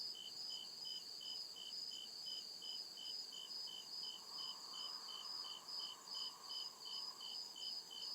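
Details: Woodland crickets at night keep up rapid, even high chirping, a little over two pulses per second, against a dense steady insect drone and a quiet lower hum rising midway.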